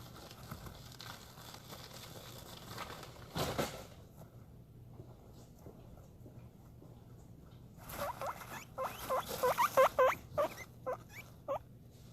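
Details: A male guinea pig gives a quick burst of short, bright squeaks, excited because he is getting food.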